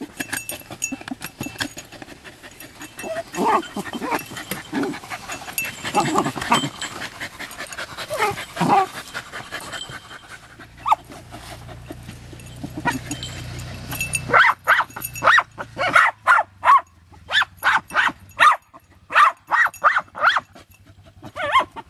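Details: Jagdterriers Luco, a two-year-old mother, and her six-month-old daughter Effie work an armadillo in hot weather after seven rainless weeks. Panting and scuffling are followed by a run of sharp, repeated barks in the second half. People talk nearby.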